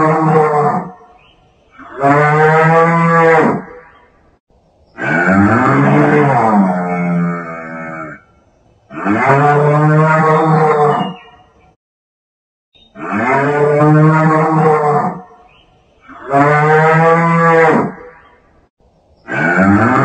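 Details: Large animal, possibly a bull, lowing in loud, drawn-out, harmonic moos of one to three seconds each. About six calls come with short silent gaps between them. Some have a wavering, rising-then-falling contour.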